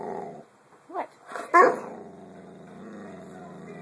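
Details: Boxer puppy indoors demanding its owner's attention while she makes dinner, a near-daily habit: a few short, rough yelping barks after a spoken command, the last one loudest, then a steady household hum.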